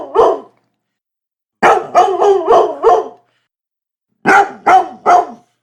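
A Labrador Retriever barks in quick bursts, a single bark followed by two rapid strings of three.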